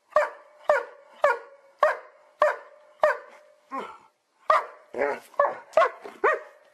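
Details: A dog from a funny barking compilation lets out a steady run of sharp, clipped barks about every half second, then faster, more ragged and mixed barks toward the end.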